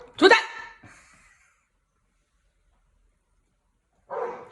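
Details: Golden Retriever, the eldest 'big brother' dog, barking wildly as the youngest dog enters a backyard home pool alone in Cheongju: one loud, sharp bark, a faint trailing echo, a long silence, then another rough vocal burst.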